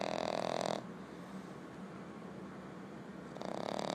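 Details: A sleeping female French Bulldog puppy snores with rough, breathy rasps that carry a faint whistle.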